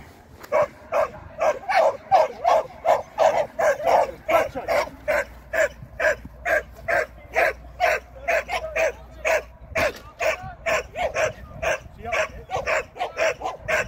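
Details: Shetland Sheepdog barking during an AKC training session on 24 April 2023: a long run of sharp, evenly spaced barks, roughly two per second, continuing steadily without pause.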